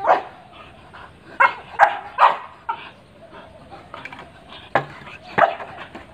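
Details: Pit Bull Terrier giving separate loud barks every half second to second, some doubled, between quieter stretches with a low murmur of background noise.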